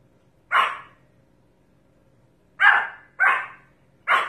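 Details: Pomeranian giving loud, harsh single barks, one near the start and then three more in quicker succession about half a second apart, each bark noisy and broad with a quick fade; a faint steady hum underneath.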